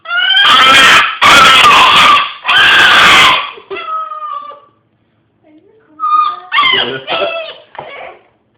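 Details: Hiro, a pet dog, gives three loud harsh rasping cries, then softer tonal howls after a short silence, indoors in a small room.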